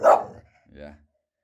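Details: Female English bull terrier barking while guarding her home, protective in her own territory and reacting to noise outside; one sharp, loud bark, then a quieter, lower sound, with people talking nearby indoors.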